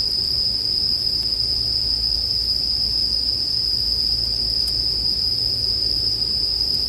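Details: Bell crickets keep up a constant piercing high trill without pauses; gentle low crackles and pops, like a fire, sit beneath, with a couple of faint clicks.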